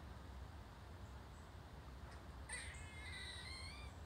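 A squirrel gives a sudden high, drawn-out barking call over steady low rumbling background noise.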